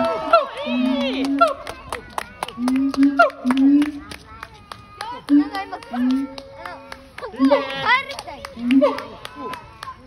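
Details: At Chiba Zoological Park, a siamang that has come out of its hut gives deep resonant booms, about one a second, mixed with higher swooping whoops and barks.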